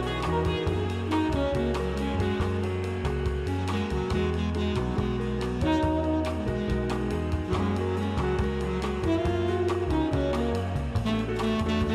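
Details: Continuous jazz music with saxophone, guitar and steady bass filling the whole stretch, and no animal voices audible.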